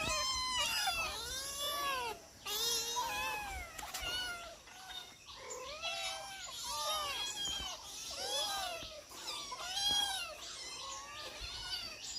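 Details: Several domestic cats meowing while being fed, overlapping arched harmonic meows repeated about every second, some rising and falling, a chorus of many calls with short pauses between.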